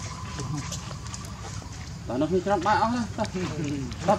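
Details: Hungry baby monkey Leo begs its mother for milk with a short run of quavering, whiny cries that bend up and down in pitch, over steady background chatter of human voices.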